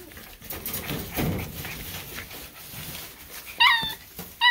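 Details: Miniature Schnauzer puppies give short, high, wavering yelps while playing together, over a quiet indoor background.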